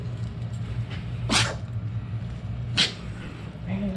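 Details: A female Chihuahua sneezing just before going out for her walk: two short, sharp, breathy bursts about one and a half seconds apart over a steady low indoor hum.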